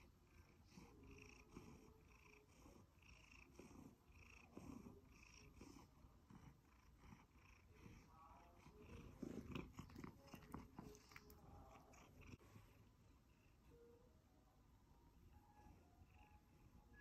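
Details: A happy one-year-old male Siberian Forest cat purrs steadily, a low rumbling vibration pulsing several times each second.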